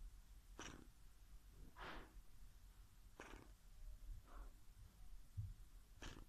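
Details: Whippet asleep and snoring with flapping lips; a run of breathy puffing snores, roughly one each second or so, in a quiet room.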